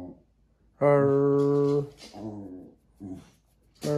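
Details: A house dog, a Jack Russell Terrier, answering its owners in a small room with a sustained, level, nasal moan lasting about a second, followed by softer mumbling grunts and a final rising yowl.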